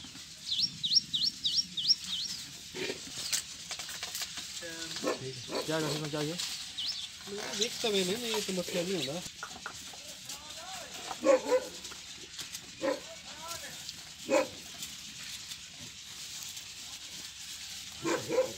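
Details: Dera Din Panah goats, white animals from a farmed herd, give wavering, harmonic bleats in the middle of the recording, mixed with human talk, brief high chirps near the start, and scattered knocks and clicks.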